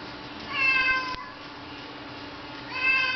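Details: Domestic cat named Mooch meowing indoors, wanting to go outside while it rains; two drawn-out harmonic meows, one near the start and one at the end, with a steady low hum between them.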